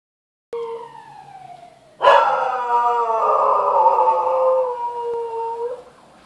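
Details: Rocky the dog howls at a passing siren: a soft falling tone opens, then a loud, drawn-out, wavering howl rich in overtones holds for nearly four seconds before easing down and fading out.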